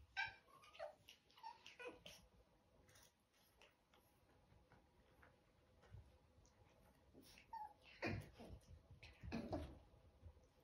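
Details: Whines from 11-week-old chihuahua puppies: thin high tonal cries early on, then a quiet stretch of soft shuffling, and a cluster of louder yelps and whimpers near the end.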